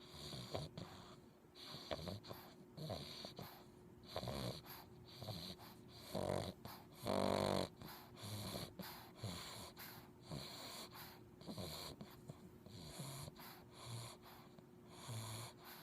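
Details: Sleeping English bulldog puppy called Chunck, breathing noisily with irregular wheezy, snuffling snores roughly once a second, some longer rasping breaths and brief whistling wheezes in between.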